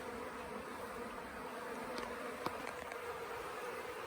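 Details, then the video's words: Honey bee swarm, late in the year, settled for several days at the Tamarind Tree Hotel and being coaxed into a nuc box; a steady, dense, even buzzing hum throughout, with a few faint clicks near the middle. "Catching a Bee Swarm"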